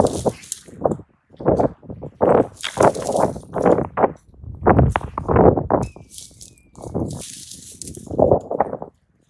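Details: Two raccoon dogs locked in a serious fight, crouching and bracing as they square off; harsh, rasping growl bursts come in a steady string, each roughly half a second long with brief gaps, some louder and snarling.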